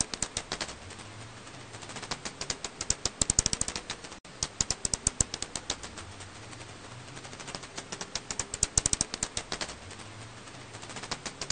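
Alashan pipistrelle calls as rapid trains of sharp, dry ticking clicks that speed up and slow down.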